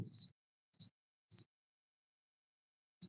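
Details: A cricket chirps indoors from beneath a paint rack it crawled under: short, high, pure-toned chirps arriving at uneven intervals, four in three seconds with a long gap before the last, each with a faint low thump in a quiet room.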